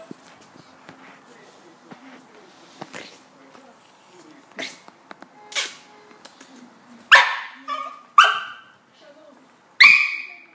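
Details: West Highland white terrier: quiet shuffling and faint clicks, then three sharp, high yapping barks spaced about a second apart near the end.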